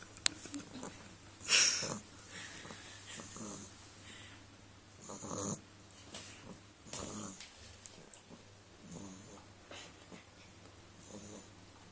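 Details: Sleeping Beagle snoring: breathy, rasping snores come in a steady rhythm about every two seconds over a constant low hum.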